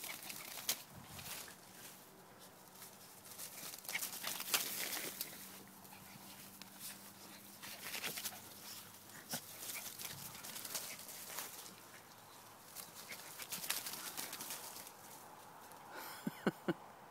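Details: Two dogs, Big and Bud, playing together; low, drawn-out growling tones hold steady for several seconds at a time, broken by scuffling, rustling and bursts of movement noise, with a brief sharper sound near the end.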